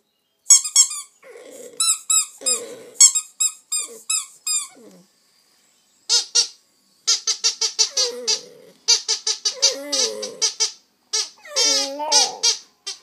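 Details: A two-month-old Staffordshire Bull Terrier puppy "sings" while being played with using a toy, giving high, squeaky, harmonic yelps and whines in rapid bursts.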